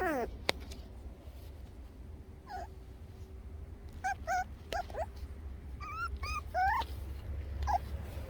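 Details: Toy Poodles, two of them, on a walk: short, scattered high whimpers and yelps, a few rising quickly, clustered toward the middle and end, with a click and a constant low background rumble.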